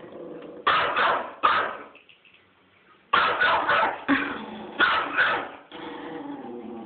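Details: Teacup Yorkshire Terrier, a pet dog, barking excitedly while chasing turtles; bursts of high, sharp yapping barks in quick clusters, a short pause, then more rapid barking with a person urging it on.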